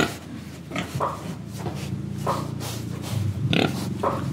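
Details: Close, continuous snuffling and low grunting from a pig breathing and eating in Indonesia, with short nasal bursts every half second over a steady rumble.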